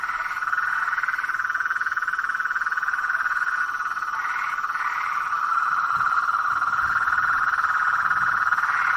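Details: A swamp at night, filled with blacksmith tree frogs: a continuous, pulsing chorus of knocking notes, roughly four a second, steady in pitch and growing slightly louder toward the end, with brief higher upswept calls.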